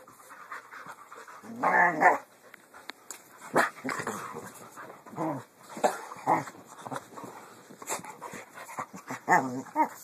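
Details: Portuguese Water Dog play fighting: bursts of rough growling and grumbling noises, the loudest around two seconds, then shorter growls recurring every second or two with quiet gaps between.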